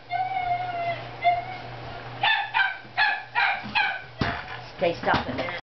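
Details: Havanese puppies, six weeks old, from the litter of Oreo and Reddy: two drawn-out high whines, then a series of short yelping yips, with a person's voice and a faint low hum behind.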